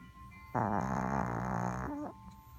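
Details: Dreaming Chihuahua snoring in its sleep: a single steady, low, buzzing voiced snore lasting over a second, ending in a short falling tail.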